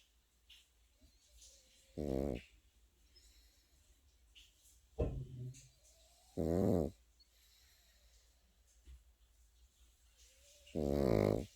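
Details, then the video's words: Sleeping Pekingese puppy gives three deep, rattling snores spaced roughly four seconds apart, plus a shorter snort near the five-second mark, all low and buzzy against a quiet indoor background. "패키니즈 코고는 영상"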